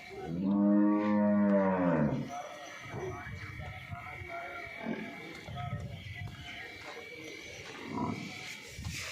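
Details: Deep, drawn-out lowing from a Nili-Ravi buffalo kept for sale in Punjab, Pakistan: a single two-second harmonic call that rises slightly then falls away, with low background rustling and thuds afterwards.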